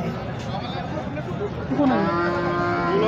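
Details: At the Sangola HF cow market, a Holstein Friesian starts mooing partway through: a nasal bellow that rises, then holds steady to the end, over a busy backdrop of crowd voices.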